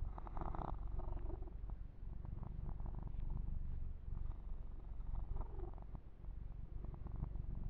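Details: Yumak, a male pet kitten, purring during a massage indoors; a steady low rumbling purr runs throughout, with brief crackling bursts of grooming or handling noise over it.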